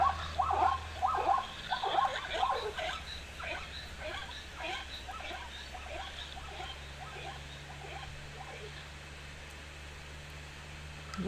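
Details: Zebras at an African waterhole during the migration season, September; possibly females alarm calling while trying to locate young separated from the herd. Rapid repeated harsh barking notes, loud at first, then fading into a distant chorus with low rumbling background.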